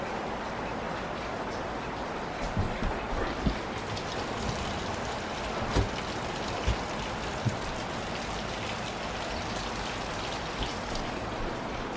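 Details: Steady rain-like hiss with occasional sharp drip or tap sounds continues throughout.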